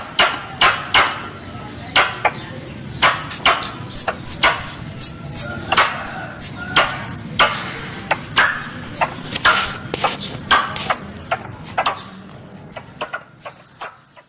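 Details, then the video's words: Squirrel calls used as a hunting lure: a fast run of sharp clicks mixed with thin, high, downward chirps, about one burst per second, loud and steady for most of the passage before tailing off near the end. "Suara Tupai 3 In One Terbaru Sebagai Penyempurna Suara Pancingan Tupai"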